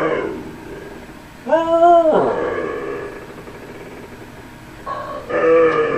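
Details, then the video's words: Husky named Tundra answering its owner, who asks whether it wants to go outside: two short, tonal woo-like vocal bursts separated by a quiet pause, each strongly harmonic and bending slightly in pitch. "TUNDRA AND DAD TALKING HUSKY"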